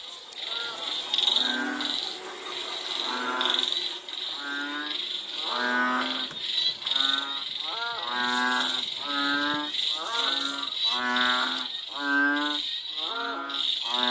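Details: Frogs calling in Cambodia during and after rain: a chorus of overlapping low, nasal, mooing calls, each about half a second long, repeated every second or so, over a steady high-pitched insect drone.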